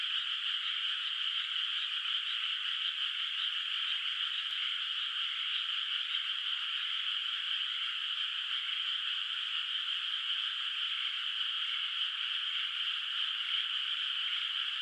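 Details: Moonlit rural rice field at night, before the rice is planted, alive with distant frog calls; a thick, unchanging chorus of fast-pulsed trills runs throughout, with one brief faint click near the middle.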